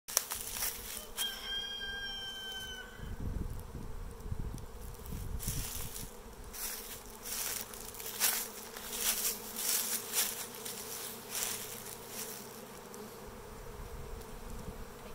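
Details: Western honey bee swarm from a farm hive, recorded on 2022-04-24 as the bees begin landing and clustering on a branch. A soft, steady buzzing hum runs throughout, with a brief bird call early on and some handling noises.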